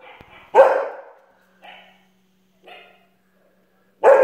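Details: A long-haired German Shepherd barks at the TV with deep, loud barks and softer woofs between them.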